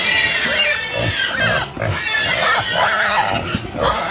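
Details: Mixed pig voices: continuous high squealing layered over short throaty grunts, dense and loud throughout.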